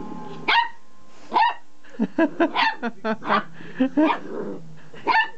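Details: Pet dog, wound up by a vibrating pull-cord toy, giving sharp barks followed by a quick run of shorter yips and bark bursts, about ten in five seconds, with a faint steady hum behind.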